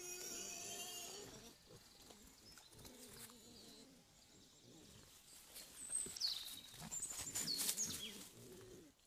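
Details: Wild boar group, the sow gang, low grunting and squealing calls in repeated bursts, rustling movement and high bird chirps in the background.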